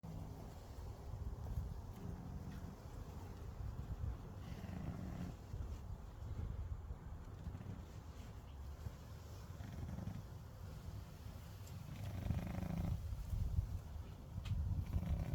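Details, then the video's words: A domestic cat napping and snoring: a low, rumbling breathy sound that swells and fades in slow cycles, with soft irregular noises and no other clear sounds. "snoring cat-nap mode"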